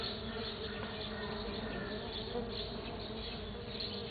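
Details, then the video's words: Unbroken low hum of stingless bees on a sunflower, 09 12 2013: several wingbeat drones blend into one even buzz, with slight rises in loudness now and then and no other sounds. "my Stingless bees on my Sunflower"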